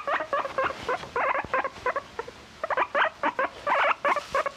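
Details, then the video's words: Short bursts of bright, stuttering squeaks from a pet guinea pig, grouped in quick clusters separated by brief gaps, clear against a faint room hiss. "My guinea pig has a lot to say"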